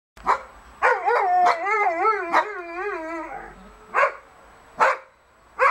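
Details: Dogs howling along with a softer noon siren in the Netherlands, unsettling the pups: a wavering tonal howl of about two and a half seconds between sharp barks, more barks repeating after it.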